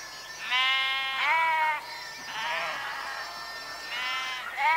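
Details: Sheep give long, steady, nasal baas, several overlapping voices at different pitches, one rising sharply at the close, over a low hum.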